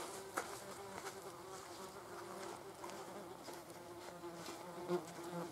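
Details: Wasps feeding on a carcass, seen as nature's health police; a steady low droning buzz runs throughout, swelling and fading as insects shift about, with faint clicks and rustles of movement.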